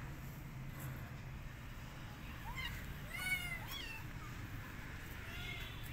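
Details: Faint rescued street kitten, not eating and wanting to go outdoors, gives a brief cluster of three or four soft meows midway over steady low background hum.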